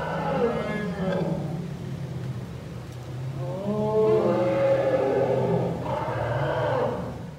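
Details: Herd of elephant cows led by matriarch Indra entering their new, expanded outdoor enclosure for the first time, calling loudly; layered low rumbling with harmonic, wavering calls rising and swelling around the middle and again near the end.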